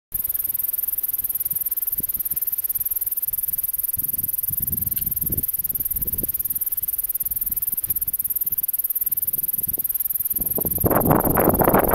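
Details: Only low rumbling thumps and steady hiss are heard, with no clear animal call. A louder burst of broadband noise comes near the end.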